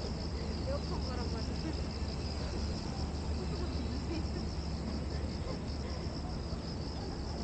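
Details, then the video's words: Cicadas calling at Gwanggyo Lake Park, Korea, on 8 September 2021, filmed with a 5.7K VR360 camera: a steady, high, shimmering buzz with slight pulsing, set over a heavy low rumble of traffic and outdoor noise. "광교호수공원 매미소리"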